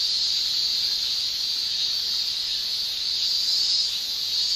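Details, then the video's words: Summer cicada song in Japan, produced by males buckling their tymbals: an unbroken high-pitched shrill hiss holding level throughout, a little stronger near the end, no other sounds standing out. "Japan Summer Cicada Shrilling"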